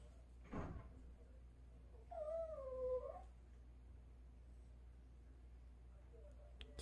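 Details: Dog begging early in the morning for meat that is thawing, giving one drawn-out high whine that bends downward, after a short scuffle; a woman speaks softly in Korean before and after, asking it to wait.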